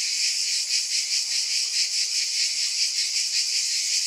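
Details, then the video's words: Cicadas droning in a loud, even, hiss-like buzz that wavers gently in a regular pulse; the sound stays high with no other animals or voices. "Scintillating Cicadas"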